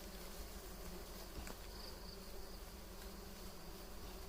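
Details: Bees around a large natural hive in a mango tree, heard as a soft continuous low hum layered with a faint higher tone, steady without breaks, under a hiss of background noise.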